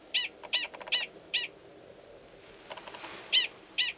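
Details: Mating call of a male Gunnison's prairie dog at Valles Caldera National Preserve, New Mexico, in March, before he joins an estrous female belowground; quick high chirping barks, a brief rustle, then two more barks.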